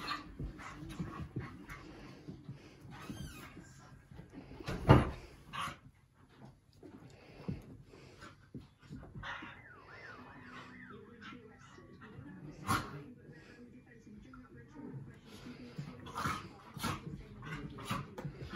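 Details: An English Bull Terrier rough-plays with its Scottish Terrier friend. Low, throaty grumbles and snuffling breaths run through, with a sharp thump near the start and a short, wavering, rising-and-falling whine midway; the other dog may add to the scuffling.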